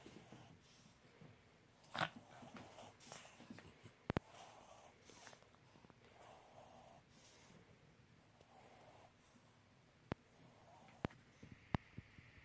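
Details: Uno, a pet dog indoors, making weird noises: soft wheezy snorts and breathy grunts come in short bursts, with a few sharp clicks and a faint room hum.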